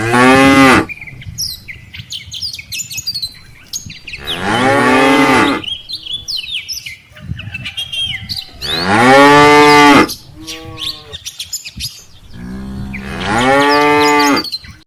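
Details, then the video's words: Moos from a herd of dozens of tame cattle, cows followed by calves, walking home from rice-field grazing to the farm barn: four loud, long, wavering lowing calls roughly every four seconds, with fainter moos between and light bird chirps. "suara sapi moo"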